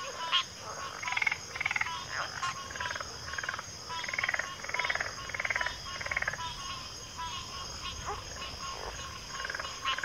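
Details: Frogs calling in chorus, a little quieter, with bursts of rapid rattling pulses coming in groups and a steady buzzy background of other callers.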